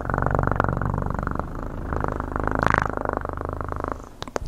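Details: Close, steady cat purring with a fine rapid pulse and low rumbling tone, swelling slightly near the middle before fading; a few sharp clicks come at the very end.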